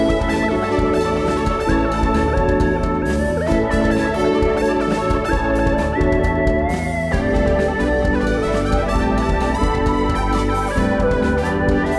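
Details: Electronic organ-like background music plays throughout, with steady melody and bass and no animal sounds.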